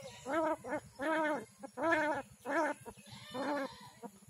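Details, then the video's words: Street cat in Kishoreganj, Bangladesh, badly bitten by dogs and dying, crying in pain: five drawn-out, wavering, nasal wails about half a second each, with soft human murmurs between. "Street cat crying to survive but no one come to rescue"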